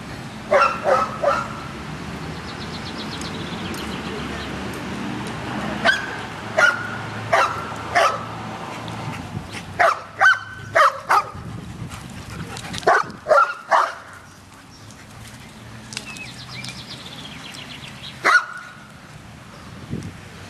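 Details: Dogs at a dog park giving short sharp barks scattered through the recording, some in quick pairs, with quiet gaps and a low background hum.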